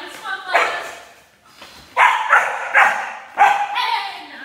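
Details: Enya, a German Shepherd puppy in a protection training session introducing barking, gives five short, harsh, broadband barks in two bursts, spaced under a second apart, with a handler's encouraging voice between them indoors.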